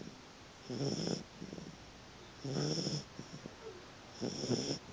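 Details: Sleeping puppy snoring: three rasping, buzzy breaths roughly every one and a half seconds, each with a soft hissing exhale and faint snuffles between them.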